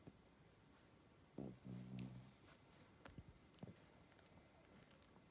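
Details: A sleeping spitz snoring indoors: a low, rough, buzzy snore swells for under a second, then a few softer snuffling breaths follow in a quiet room.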